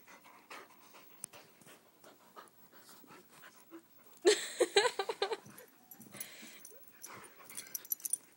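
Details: Puppy Churchill, 16 weeks old, and Sofia, 6 years old, playing; quiet rhythmic breathing gives way midway to a loud burst of raspy, growly huffs and scuffles, then softer panting.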